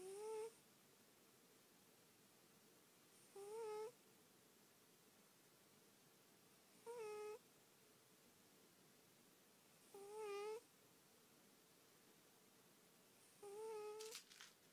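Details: Twinks, a female pet cat, snoring really loud indoors: five short whistling, tonal snores, each slightly rising then falling, repeating about every three and a half seconds in an otherwise quiet room.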